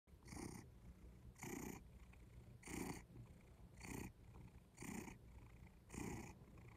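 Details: Domestic cat purring close up in a quiet room, a soft rumbling pulse that swells and fades about once every second, six even breaths in a row.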